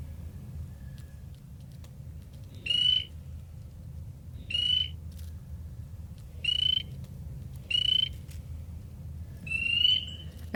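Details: A male spring peeper (Pseudacris crucifer) in a flooded Long Island bog in spring, perched on a reed with vocal sac inflated, gives single piercing high peeps about every two seconds to attract females; other frogs answer.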